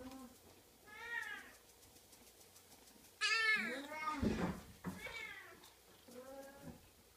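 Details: Oriental kitten giving a series of clear arched meows, rising then falling, roughly every one to two seconds, with a brief louder, rougher cry in the middle, indoors in a quiet room.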